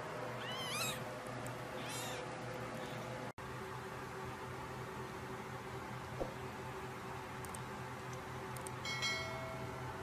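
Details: Baby Sphynx kittens give two short, rising-and-falling harmonic meows in the first two seconds, then steady low hum fills the rest, with a faint click midway and a brief high chirp near the end.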